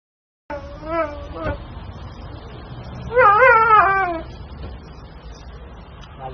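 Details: Siberian husky that refuses to go home and argues with its owner gives a drawn-out, wavering vocalization rising and falling like speech, almost talking back; a shorter whine comes first, with faint room noise.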